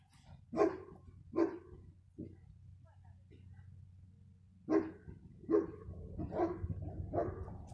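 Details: Dog recorded on 15 February 2020 gives abrupt barks, two close together, a lone softer one, then a rapid cluster of four, with a human voice and low background hum between them.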